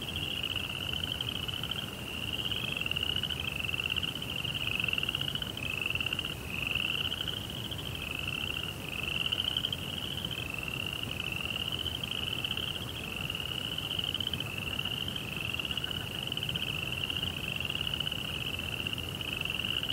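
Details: Night crickets in a Zen garden by a koi pond, calling in a long run of short shrill chirps, roughly one each second, each a brief high trill, with a soft rumble beneath.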